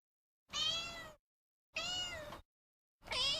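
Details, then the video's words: Domestic cat meowing: two clear, drawn-out meows slightly over half a second each, then the start of a third, separated by silence. "猫の鳴き声 にゃー"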